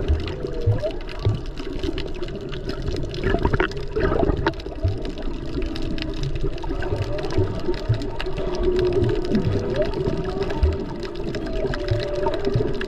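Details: Humpback whales heard underwater while snorkeling off Maui over Presidents' Day weekend, in peak season with mostly mothers and calves around, recorded on a GoPro. Short rising moans and sustained mid-pitched tonal notes sound through heavy splashing, bubbling water noise.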